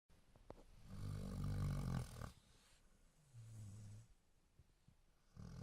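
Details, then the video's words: Sleeping dog snoring: one long, loud, rasping low snore lasting over a second, then a softer, deeper rumbling breath, and the start of another at the end. "А ваша собака храпит?"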